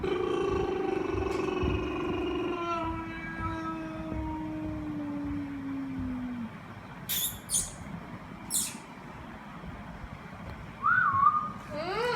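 Golden Retriever puppies give a long, slowly falling tonal whine, then sharp clicks and a brief rising yelp.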